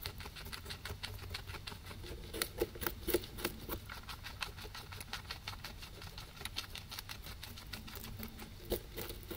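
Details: Two guinea pigs eating grass, recorded on a ZYLIA ZM-1 microphone array: a dense, rapid run of crisp crunching clicks as the grass is chewed, a few louder snaps standing out, over a soft low indoor hum.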